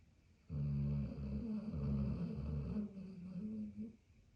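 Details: Pit bull German shepherd mix Maximus snoring after an early morning walk, one continuous harsh, chainsaw-like rumble lasting over three seconds with a wavering, pulsing texture.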